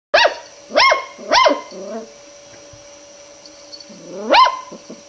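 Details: A long-haired Miniature Dachshund puppy gives a few high, sharp, upward-rising barks, afraid of a roll of ribbon yet wanting to investigate it.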